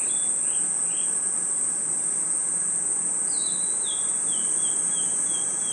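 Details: Crickets and insects chirping in a nighttime forest: a shrill steady ringing carries throughout, over a run of quick descending chirps repeated in a loose series, several per second, in the second half.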